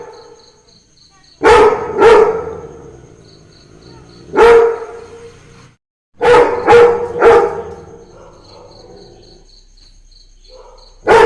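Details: Labrador Retriever barking along to Christmas carols: loud, harsh barks come singly and in quick pairs, with a cluster of three near the end, while faint tinkling carol music plays throughout.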